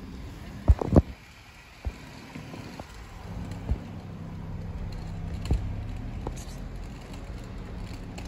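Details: Low street rumble from passing vehicles with a few sharp knocks and clicks near the start, and no animal call heard.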